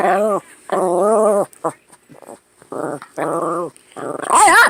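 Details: Chubby male Chihuahua that hates sneezes grumbles in several sustained, wavering, moaning growls, each lasting up to a second, separated by short pauses, ending in rising whiny protest under a person's noise.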